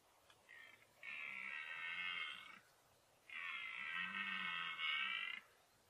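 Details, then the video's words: Two long, harsh bellows from a red deer stag during the 2014 rut, part of repeated encounters with a 14-point stag. Each roar lasts about one and a half to two seconds, heavy with harmonics, separated by a short pause. "Brame du cerf"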